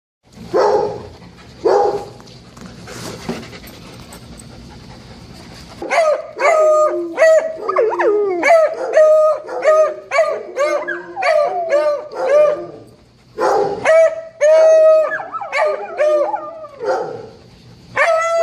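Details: Pet dog howling the morning after a Cavs game: after a couple of opening moans, a long run of rapid, wavering, yodel-like vocal notes with rich harmonics, broken by brief pauses, in a close indoor setting.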